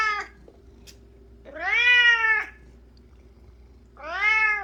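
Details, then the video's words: Domestic cat fixated on flower petals meows loudly indoors: two drawn-out, arching meows about two and a half seconds apart, harmonic and strained, with a steady low hum behind. "꽃잎에 엄청나게 집착하는 고양이🐱🚨고막주의🚨"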